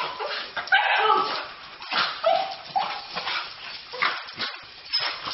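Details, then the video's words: A dog far too happy to see its owner cries in rising and falling whimpers and yelps, pulsing roughly once a second over a busy, noisy background. "Crazy dog is WAY too happy to see owner!"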